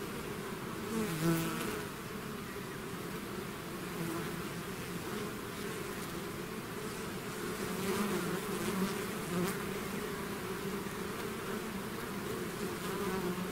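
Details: Bees swarming out of their hive: a continuous thick buzz from countless wings, layered humming tones that rise and dip, and occasional nearer bees flying past with short sharper surges.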